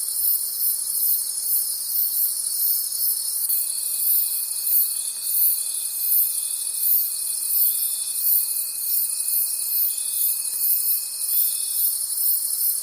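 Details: High, rhythmically throbbing cricket chorus in a forest at night, pulsing around three beats per second, with a steady piercing tone entering after three and a half seconds and fading near the twelfth second.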